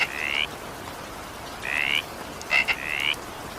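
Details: Frogs calling during evening rain: three raspy, slightly rising trilled croaks about half a second long, the last one preceded by two short clicky notes, over a steady hiss of falling rain.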